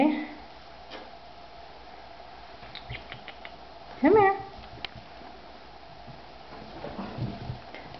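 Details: Female Bengal cat with a spunky personality, indoors, gives a single short meow that rises then falls in the middle, after a man talks at the start; faint clicks and room noise elsewhere.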